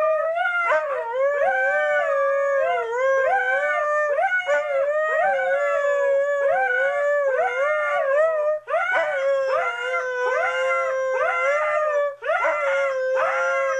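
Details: Pair of Siberian Huskies egging each other on in a long howling session: two dogs trade wavering, sliding howls, one holding a steady lower tone while the other swoops up and down in repeated short arcs.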